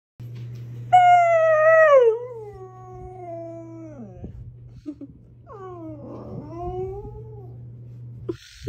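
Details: Fluffy white Siberian Husky with blue eyes talking indoors to wake its owner like an alarm clock: a loud falling howl, then a long sliding moan and a shorter wavering vocal, steady low hum throughout.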